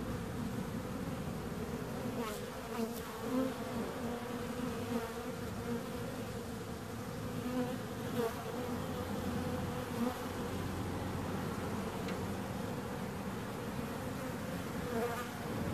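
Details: Long steady hum of bees, a layered low buzzing that swells slightly at moments, with a few soft clicks or knocks scattered through.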